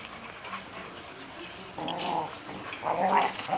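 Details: Six-week-old Golden Retriever puppies from one litter, confined in a cage, give two short whiny growls, the second longer and louder, after a quiet opening with faint rustling.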